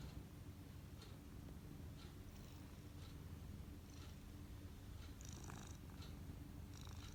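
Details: Domestic cat purring while massaging, a steady low continuous rumble throughout with faint clicks and soft rustling above.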